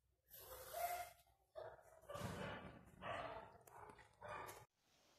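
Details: Two young male puppies, recorded March to April 2020. They give short whining and yelping bursts, with a clear tonal whimper near the start, then several broken, barky calls separated by brief pauses.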